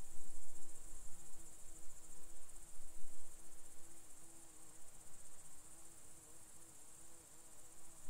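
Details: Rutting red deer stag, Czech Republic, autumn 2021, lured with a hind-call imitation. Deep moaning roar, loudest at the start, then continuing in uneven pulses. Steady high-pitched crickets buzz throughout.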